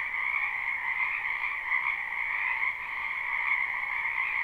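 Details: A spring wetland full of frogs, recorded live without loops, gives a continuous trilling chorus of croaks layered in two even bands, with slight swells in volume and no other sounds.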